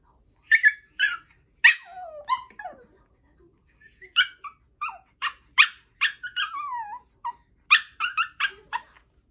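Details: Puppies giving high yips and whimpers in clean separate bursts, some with falling whining tails, clustered in two groups across about nine seconds with near silence between.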